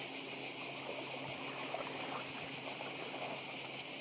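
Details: Cicadas calling by the sea on Badija, Croatia: a loud, continuous high-pitched rasping buzz that throbs with quick regular pulses, backed by a low hiss of surf.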